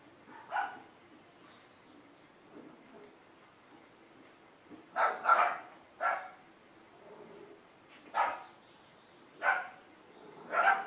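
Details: Golden Retriever puppies of a litter on a puppy cam, giving short high yelps and barks roughly once a second to once every two seconds, with a quiet hum between them.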